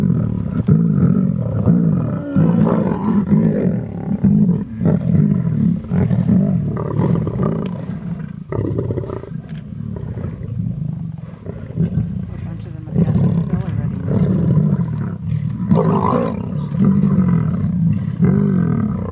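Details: Large Munghene lion pride at Londolozi feeding voraciously on a freshly killed young rhino bull. Lions fight over the carcass with continuous deep growling and harsh snarling in overlapping bursts, rising and falling without a steady rhythm.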